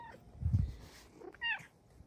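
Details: A female Bengal cat, a pet, gives a brief, clear meow sliding downward in pitch after a dull low bump of handling noise, with a faint chirp at the very start.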